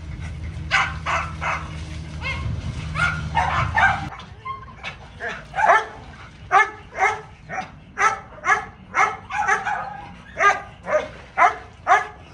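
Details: Little dog at playtime, where Mayo plays with a hose and Simba cuddles. A steady low hum fills the first four seconds, then sharp excited yips repeat about twice a second until the end.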